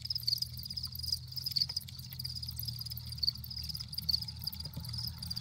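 Crickets chirp steadily in a high, shimmering band, with a low rumble underneath.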